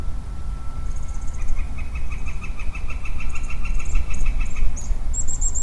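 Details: Lonely male Western Chorus Frog in early spring woodland giving a pulsed, rapidly repeated trill for about three seconds, with thin high bird chirps above, a steady tonal hum and heavy low wind rumble.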